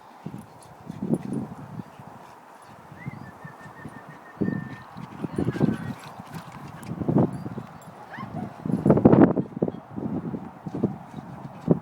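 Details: Boxer Roxy at play with her brother Toby, a second boxer: short low growls and huffs scattered throughout, thickening into a louder rumbling burst near the end, over faint background noise.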